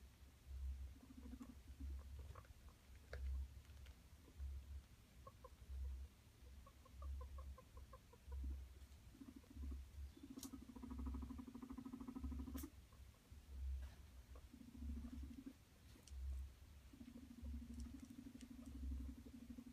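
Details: Guinea pigs, a male courting two sister females, give low, buzzy rumbling notes in short bursts, with a quick run of soft clucks.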